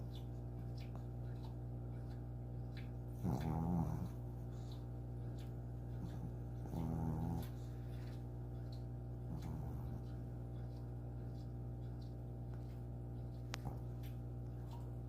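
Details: Loud snoring from a sleeping eight-year-old pet dog, short rumbling snores roughly every three seconds fading to softer ones, a faint click near the end, steady low hum throughout.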